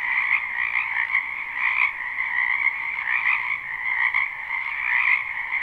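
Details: Frogs croaking in a spring wetland behind a house, recorded live at night-time sleep ambience: a dense, continuous chorus of trilling croaks in two bright bands, many callers overlapping with slight pulsing swells, no other sounds.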